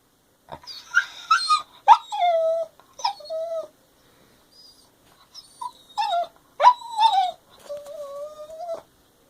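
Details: Pet dog demanding attention and wanting to play while another dog sleeps; high, thin whines and whimpers that slide downward and then hold a steady tone, in two bouts separated by a short quiet pause.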